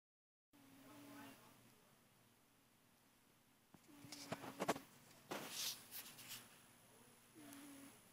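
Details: Felix, a fat male house cat, snoring while asleep indoors: a few short, steady whistling snore tones about six seconds apart, with some clattering and rustling noises in between.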